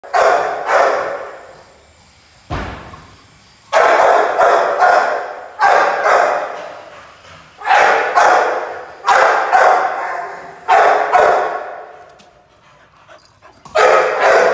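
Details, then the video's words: Pit Bull puppy playing, giving loud broadband barks in short bursts of two or three, the bursts coming every one to two seconds with brief quiet gaps and a thump between them. "Pitbull puppy playing"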